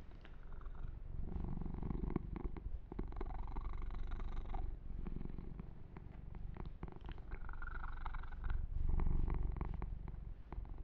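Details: A male kitten being massaged and groomed purrs steadily, a low continuous rumble pulsing several times each second.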